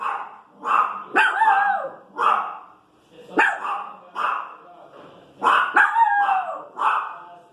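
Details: Small female Pinscher barking and 'complaining' at noise in the street: sharp high yelps and barks with whiny, wavering tones, in bursts of two or three roughly every second, short pauses between.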